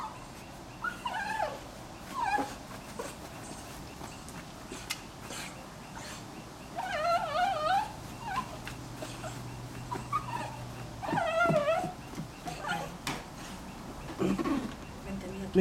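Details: Miniature Schnauzer female giving birth indoors on a June afternoon in 2008, delivering her first puppy; thin, quavering whines come in a few clusters, with long gaps filled by Spanish-speaking voices and faint rustling.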